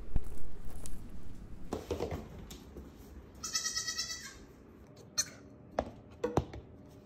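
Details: Baby goat, a surprise newborn called a goat puppy, indoors in a house while peppers are transplanted: one strong harmonic bleat in the middle, lasting about a second, among knocks, rustling and handling thumps.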